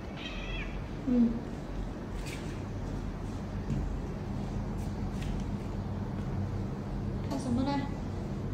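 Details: Domestic cat in an indoor corridor, calling to be let outside: two drawn-out, tonal meows, one near the start and one near the end, with a person speaking quietly and low room hum between them.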